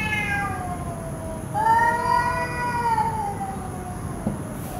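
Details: A cat gives long drawn-out meows, one fading at the start, then a clear harmonic cry of about a second and a half that slowly falls, over steady background hum and a faint high tone.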